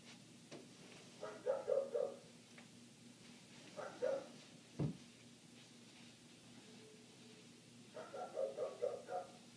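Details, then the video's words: Neighbour's dog barking nonstop, heard indoors through closed windows: muffled double and triple barks in three bursts, with a sharp thump between them and a steady low hum throughout. "Dog Barking"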